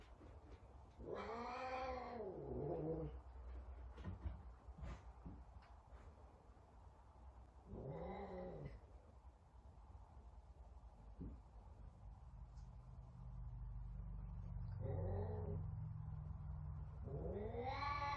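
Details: Very talkative Savannah cat indoors trying to find another cat, four drawn-out wailing meows arching up and down, spaced several seconds apart, with a low steady hum in the room.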